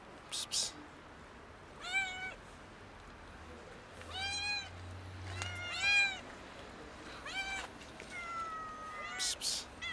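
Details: A kitten and two cats begging for food with loud meows: rising-then-falling harmonic calls spaced a second or two apart, one long flat meow near the end, faint low hum and sharp clicks in the background.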